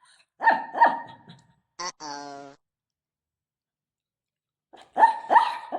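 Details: Shih Tzu barking indoors at home while its owner's mother meets it: short sharp barks in pairs near the start and end, with a brief whine-like squeal between them and laughter around.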